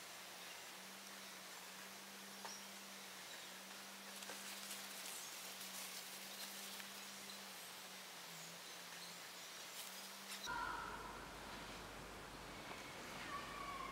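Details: A bumblebee's low, steady buzz wavers slightly in pitch against a soft outdoor hiss as it kicks away a curious fly.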